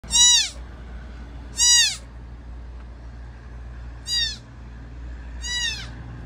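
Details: Newborn mule deer fawn, abandoned by its mother at a wood processing mill, gives four high, harmonic bleats. Each drops sharply in pitch and comes about every one and a half to two and a half seconds over a low steady machine hum.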